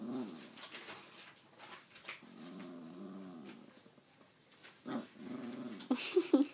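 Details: Pet dog Nipsu, trying to tell its owner something, gives low rolling growls indoors in wavering bursts that swell and fade, ending with a couple of higher sharp whining yelps.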